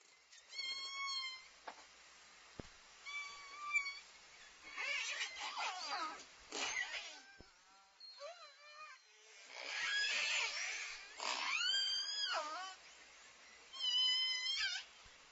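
Southern Resident killer whales trade squeaky, nasal calls, some steady and some sharply rising, over underwater hiss.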